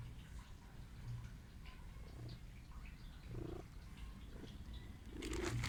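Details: A sick stray cat that sneezes and seeks affection purrs in a low, steady rumble, with soft rustling and a brief louder burst near the end.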